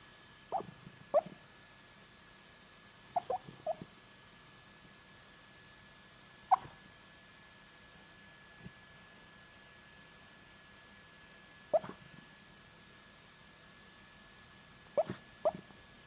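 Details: A sleeping dog makes funny sounds while dreaming, short muffled yelps and whimpers, often in pairs, breaking out every few seconds over a quiet steady background hum.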